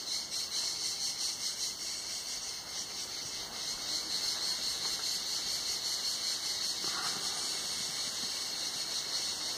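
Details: Summer cicada song at Tenuta Zimarino from the shade of a mulberry pergola: a loud, sizzling high buzz with rhythmic pulsing that swells after four seconds, plus a short faint squeaky call near seven seconds.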